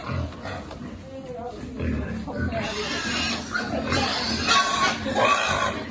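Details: Piglet on a pig farm being fed by hand, with low grunts and snuffles under close, steady human speech in a non-English language and light rustling.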